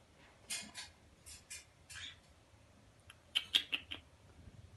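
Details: One-day-old baby marmosets calling: a run of short, noisy, high squeals with brief pauses between them, then a faster cluster of sharp, piercing chirps near the end, over a quiet indoor background.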